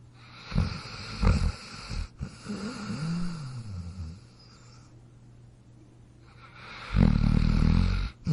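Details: Dog asleep and snoring: short gravelly snorts, then a drawn-out nasal whine that rises and falls, a pause, and a loud rumbling inhale, over a constant low electrical hum.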